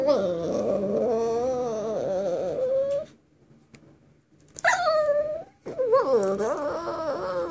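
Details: Dog singing in long wavering howls, a first stretch of about three seconds, a pause, then rising and falling howled notes that swoop up and down; music plays in the background.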